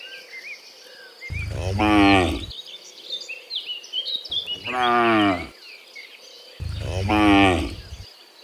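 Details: Cows mooing in the morning as they return from the field to the pen: three long, loud, harmonic moos that rise and then fall, spaced about three seconds apart, with small birds chirping in the background.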